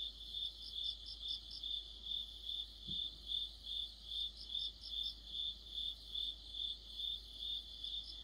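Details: In the depth of autumn, crickets and other insects sing together near a streetlight; a bright, high chirp repeats steadily about twice per second, joined by softer trilling pulses from another singer and a brief low thump.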